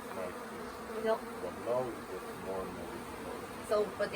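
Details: Swarming honey bees at the Tamarind Tree Hotel, late-season and undecided about staying in a nuc box, hum in a continuous low buzz with slight wavering, while faint human voices break in now and then.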